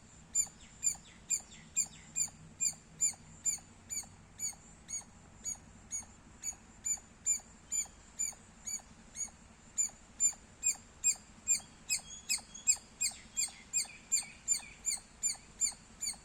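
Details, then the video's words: Loud squirrel chirping: a rapid, steady run of high, sharp notes, about two or three per second. Extra fainter, thinner chirps overlap near the end. "Loud Squirrel Sounds -squirrel chirping Sounds Loud"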